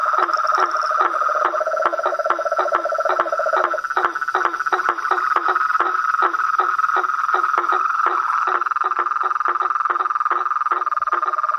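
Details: Toads, frogs and treefrogs in nature: quick knocking calls, around four per second, over an unbroken high trill, with a lower rattling trill layered in at the start.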